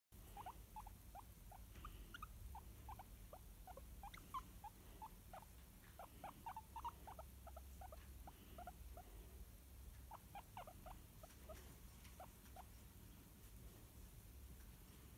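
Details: A shy pet guinea pig being cuddled utters soft, quick squeaks and chirps in irregular bursts, dense for the first nine seconds, then sparser, over a low steady room hum.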